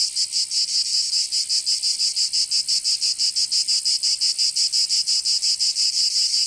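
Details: Cicadas singing on a summer day in Provence, southern France: a loud, dense, high buzzing chorus that pulses rapidly, about three throbs per second, with no other sounds.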